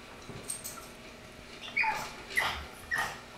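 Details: Pug puppy crying for his brother's food, a few short high whines near the end, each a thin squeak-like cry about half a second apart, over quiet background with faint clicks.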